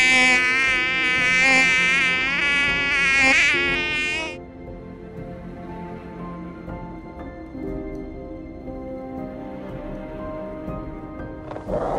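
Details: Whining mosquito buzz, high and wavering, filling the first four seconds before cutting off abruptly, after which calm sustained background music carries on alone.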